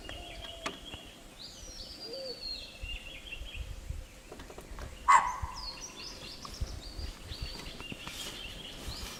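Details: A chital (spotted deer) in Tipeshwar Wildlife Sanctuary, Yavatmal, Maharashtra, gives one sharp, loud alarm bark over a background of chirping and whistling birds.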